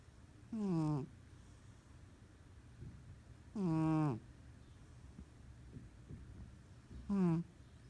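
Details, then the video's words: A loud snore from a sleeping, dreaming house cat, heard as three half-second tonal breaths about three seconds apart, each one buzzing and sliding slightly downward in pitch, with soft background noise between them. "Sleeping Cat Snores and Dreams"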